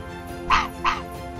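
Two sharp, hoarse yaps from an Arctic fox, about a third of a second apart, over a faint steady musical hum.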